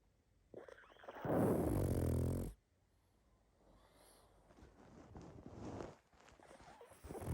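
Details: Sleeping pug snoring and snuffling: one long, loud, rasping snore lasting about a second and a half, followed by softer wheezy breathing sounds and a rising snort at the end.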